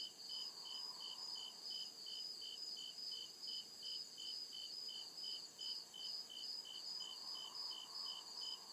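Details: Crickets chirping at night in deep woods: steady high pulsed trills, roughly two and a half pulses per second, layered with a continuous shrill buzz and a faint lower hum swelling in the background.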